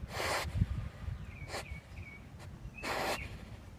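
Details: Basset Hound snorting while sniffing around: short, forceful nasal blasts about every one and a half seconds, with faint bird chirps and steady low background noise outdoors.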